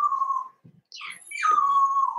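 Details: Cavalier King Charles Spaniel puppies in a home puppy pen, meeting several older dogs during socialization: a steady high whine, a brief pause broken by a sharp rising squeal, then the drawn-out whine returns and holds.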